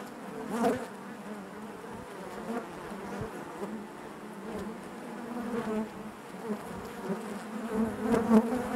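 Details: Honey bees droning in their hive, a soft unbroken hum that swells briefly near the start, stays level through the middle, and grows louder toward the last second.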